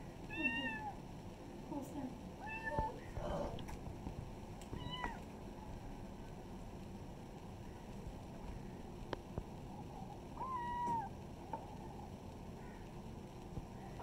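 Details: Kittens in a village setting give clear, high, harmonic meows, short and often falling at the end, in bursts over the first five seconds and again near eleven seconds, with clicks and soft household noise between.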